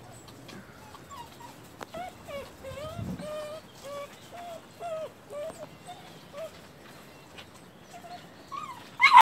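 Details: Labrador Retriever puppies playing in the snow during a second snowfall on April 14: thin, high whines and whimpers that waver and bend up and down, repeated many times, with a few short yips and a loud bump at the end.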